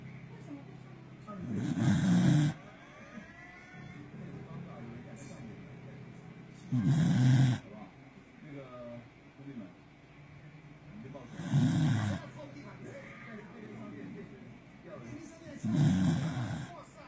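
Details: A sleeping Corgi called 嘎逼 snores very loudly. Four heavy, low, rumbling breaths arrive roughly every four to five seconds, with faint rustling in the quiet stretches between.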